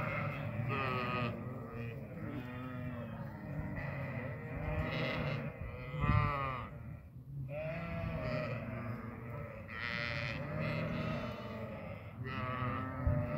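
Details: Goats (Capra hircus) on a goat farm bleat over one another in wavering, nasal cries, with hardly a pause between calls; Goat.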